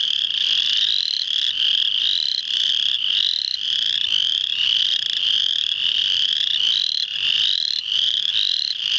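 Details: Full chorus of spring peepers recorded March 7, 2009 at Muscatatuck National Wildlife Refuge in Indiana: countless shrill, upslurred whistled peeps piling on each other in an unbroken, steady high-pitched din.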